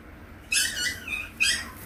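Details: Purebred, home-raised Maltese puppy giving two high, squeaky whimpering yelps rich in overtones, each sliding downward, about a second apart, in a quiet indoor room.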